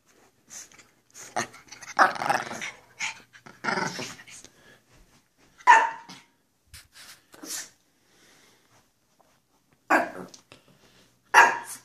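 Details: Pair of Pekapoms, one female and one male, playing goofily indoors: scattered rough growls and sharp single barks separated by quiet gaps of one to two seconds, loudest bursts near the end.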